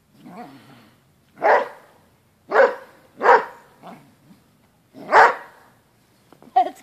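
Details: Fighting Basset hound barking fiercely: five or six heavy, raspy barks with uneven gaps, ending in a quick sharp yelping burst, nothing else clearly audible.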